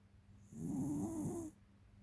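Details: Tiara, a 13-year-old female American Cocker Spaniel, snoring: one loud, rasping, rough inhaled snore lasting about a second, with a low throaty rattle and a hissing airy edge, set against quiet room noise.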